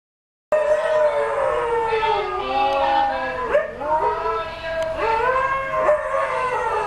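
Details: Pet huskies howl in chorus as the 'Old Newspaper' van siren sounds, several long, wavering voices overlapping, sliding up and down and bending sharply in places, a steady multi-voiced wail throughout.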